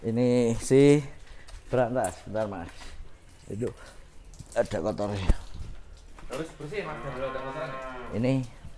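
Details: Cattle in Indonesia, kept as a pet cow: short voiced bursts and human talk early on, then one long, drawn-out low moo that swells and fades over nearly two seconds near the end.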